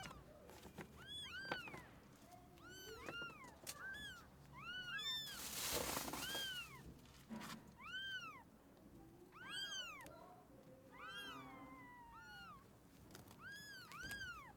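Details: Kitten abandoned in freezing snow at -11°C and rescued after two days keeps meowing in a steady series of high arched cries, broken midway by a loud rush of noise.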